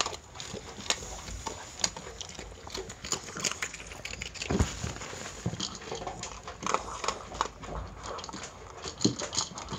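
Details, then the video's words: Pet Miniature Pinscher eating its meal of dog food: dense, irregular crunching and clicking of chewed kibble, some louder snaps, above a constant soft hiss. "ドックフード 食べる いい音 ミニチュアピンシャー Miniature Pinscher meal video"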